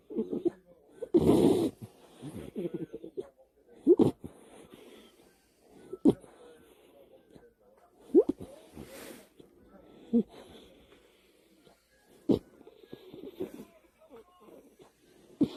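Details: American Cocker Spaniel named Niji snoring at night in bed with the lights off, a human-like, slightly pig-like snore: short rough bursts roughly every two seconds, the first one longer and louder, separated by quiet breathing.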